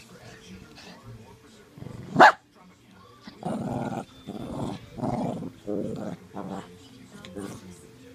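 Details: Two Shih Tzu dogs, Mav and Murph, wrestling together indoors: one sharp yelping bark, then a run of rough, throaty play growls in short bursts about a second apart, with soft rustling between.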